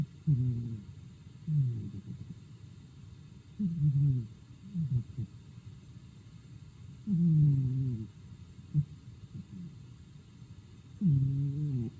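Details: Sleeping house cat Daigoro snoring at home: low, rumbling breaths with descending harmonic tones, each about half a second to a second long, recurring irregularly around every three to four seconds, with quieter soft puffs between and no other sounds.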